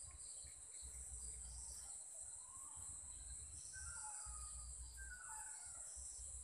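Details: Evening insect chorus recorded at 7 pm in Sri Lanka, a constant shrill high ringing tone, a few soft whistled bird notes drifting through, and low rumbling noise underneath.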